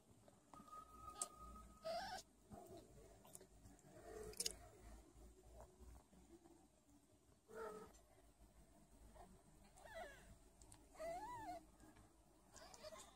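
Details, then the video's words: Sphynx kitten, one of a litter of five, being bottle-fed as extra feeding because the mother lacks milk; several short, thin high mews rising and falling, some with a brief sustained tone, over quiet room hiss and faint clicks. "Adorable Kitten Feeding from Bottle TOO CUTE 🍼 MEOW"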